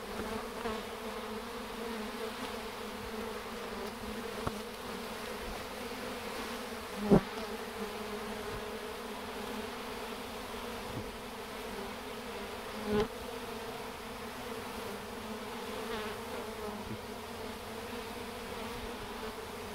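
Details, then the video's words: Swarm of honey bees walking into a hive box after catching the queen's scent, many fanning wings; continuous layered drone holding steady throughout, with occasional brief taps. "Bees marching into a hive"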